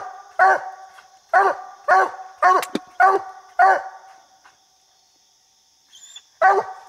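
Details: While coon hunting, a coonhound barks up a little tree holding a raccoon, about 70 barks a minute; a quick series of five loud barks, a two-second lull, then barking resumes.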